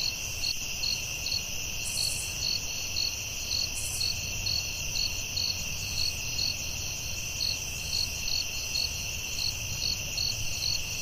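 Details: Crickets calling at night in the forest: evenly spaced bright chirp pulses continue throughout over steady high-pitched droning, with two brief very high buzzy bursts and low background noise.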